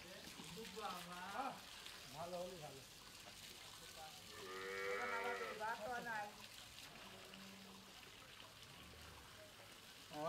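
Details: Several farm heifer calves, 13-14 months old, in Pabna, Bangladesh. Repeated short, wavering moos and lowing are heard, with one longer, fuller moo near the middle over steady background noise.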